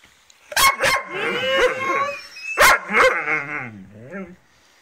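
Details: A Dobermann and a Rhodesian Ridgeback, one cranky after losing her favourite ball: two sharp barks followed by long, wavering, whining howl-like vocalising, then two more barks and a falling, groaning whine that trails off.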